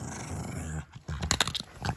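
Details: Six-year-old female pug guarding a bone treat: a short, low, throaty growl, followed by scuffling and a few sharp clicks and snaps.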